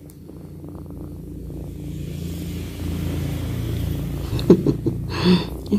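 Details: Twinkle, a kitten, purring loudly while sleeping beside its owner: a steady, low rumbling purr with a soft rhythmic pulse that grows slightly louder, ending with brief rustling noises.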